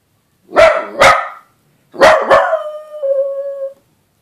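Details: Scooter, a dachshund howling for the first time, opens with two rough barks. After a pause come two more barks that stretch into a steady, clear howl held for nearly a second.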